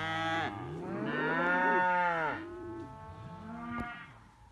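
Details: Simmental calves, heifers and bull calves kept as one group, a long loud moo swelling and fading over two seconds, followed by softer lower moos and a brief knock.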